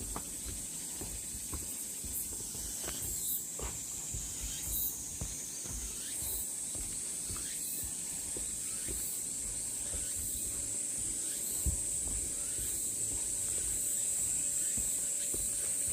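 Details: Continuous shrill cicada buzzing fills the forest along the Deogeumsan Sollbaram trail in Namwon on 16 August 2019. The drone holds at one high pitch and swells slightly toward the end, over scattered footsteps and rustling.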